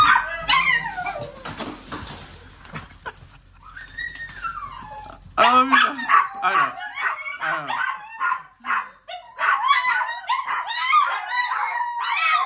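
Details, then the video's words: Several Chihuahuas singing together with a Miniature Pinscher friend indoors: a long falling and rising howl early on, then overlapping high yips, barks and wavering howls from several dogs, with a person's voice at the start. "Chihuahuas Sing With Their New Min Pin Friend!"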